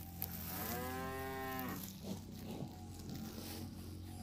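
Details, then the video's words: Cows roaming and grazing on fresh grass in a grassy park give one drawn-out, low moo lasting over a second, its tone falling away at the end, followed by soft rustling and faint background hum. "Suara Sapi Lembu Makan Rumput"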